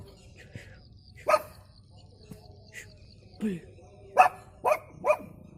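A Pug gives a run of short, odd-sounding barks, several coming in quick succession near the end.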